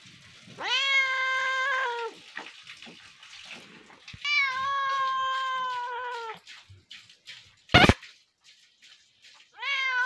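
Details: Cat or kitten meowing, from a compilation: two long, clear, drawn-out meows, each lasting over a second and falling slightly at the end, a sharp knock, then the start of a third meow.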